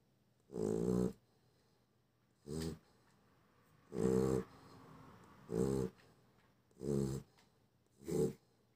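A Chow Chow snores loudly, each rough, rattling breath coming every second or two.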